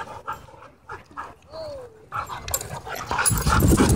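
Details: Dogs in wild play at a dog park: a few short soft yips, then a rising-and-falling whine, followed by louder scuffling, panting and rough play noise in the final second.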